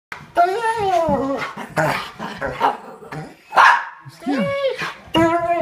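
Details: Bernese Mountain Dog at home howling to show love as its owners come in; wavering, melodic howls with curving harmonics, broken by short gaps and a noisy burst near the middle, with people's voices mixed in.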